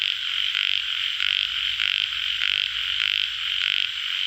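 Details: Rasping, pulsed croaks from tiger frogs, also known as yellow frogs, come in bursts roughly twice a second, layered over a continuous droning chorus of other calling frogs.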